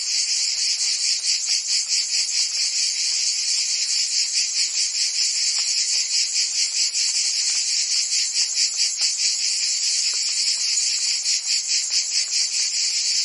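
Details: Cicadas singing in summer in Provence, France: a dense, continuous high buzzing chorus with a fast pulsing throb, many insects overlapping steadily with no pauses; no other clear sounds.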